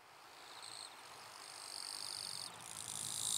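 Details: Wild eastern Japanese katydid in northern Miyagi, Japan, August 2024, possibly a distinct population resembling the western form: high buzzy stridulation band, first short bursts then a longer continuous trill swelling in loudness, with other insect buzzing around.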